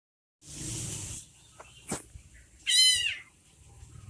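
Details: Orange kitten left behind by its mother gives a single high, thin meow with a bent, wavering pitch, following a brief hiss of noise and a soft knock.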